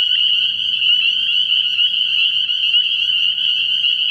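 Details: A night chorus of many spring peepers at a frog pond early in the year forms a steady, piercing wall of high peeps without pause. Faint low rumbling sits far beneath.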